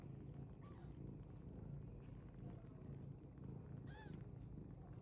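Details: British Longhair cat making two brief, soft meows about three seconds apart. The first is faint and the second slightly arched. Both sit over a low, steady rumble.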